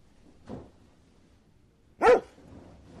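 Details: A pet dog, said to wag its tail when happy, lets out a single loud, abrupt bark after a soft earlier sound and a second of quiet; the bark is rough and broadband with a clear ringing centre.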